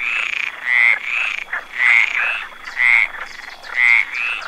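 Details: Frog perched on a branch giving repeated raspy croaks, roughly one burst per second, some with a quieter second note just before or after, over a thin steady high hum.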